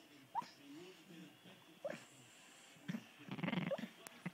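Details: A female English Bull Terrier, asleep, gives thin, high gerbil-like squeaks between soft, wheezy breaths. English Bull Terrier.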